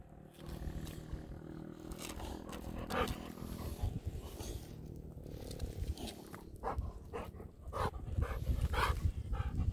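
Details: Two Golden Retrievers, Kohaku and Ibuki, show their joy at being taken outside for a walk after waiting quietly. They give low, rumbling, drawn-out grumbles with steady tones, amid shuffling paws, snorts and sharp clicking steps.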